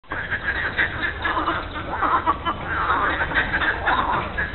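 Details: Frogs calling at the lily pond in Monet's gardens in Giverny, France, on a Monday morning in mid-April: a dense, continuous chorus of overlapping rattling croaks, with many callers blending into a steady, churning din.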